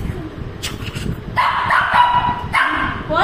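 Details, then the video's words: Shih Tzu at dinner wanting snacks instead of dosa: a loud, drawn-out nasal whine with a short higher yip, while a woman talks in Tamil. "Shih Tzu wants only Snacks not Dosa for Dinner"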